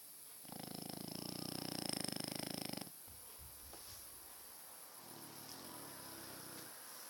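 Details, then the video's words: Sleeping French Bulldog, one of two kept indoors, snoring loudly: a rough, pulsing inhaled snore of about two seconds, buzzy and rattling, then a quieter exhale with a softer snore near the end. "Massive snoring frenchbulldog!"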